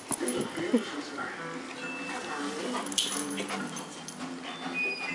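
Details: A female Weimaraner throwing a temper tantrum at not getting her way whines and whimpers in drawn-out, wavering cries, with people talking and music behind. Weimaraner.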